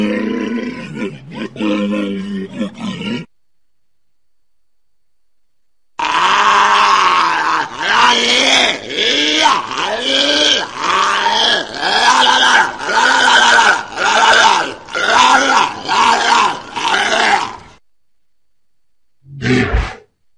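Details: Large walrus giving deep, rough grunting roars: a three-second burst, a pause, then a long series of harsh pulsed bellows repeated roughly once a second for about twelve seconds, ending with a short final call.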